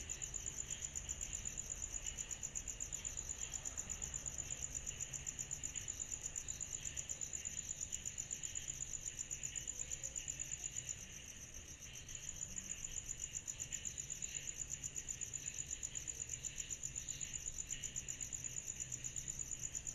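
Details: Chorus of cicadas at night in summer: an unbroken high-pitched pulsing trill with a softer shimmering layer beneath, dipping briefly in loudness midway.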